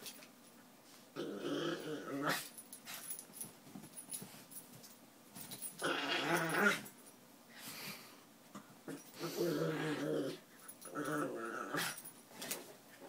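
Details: Min Pins at play: drawn-out, rough growling in several long bouts, some whining and wheezy, broken by short pauses and light scuffling sounds.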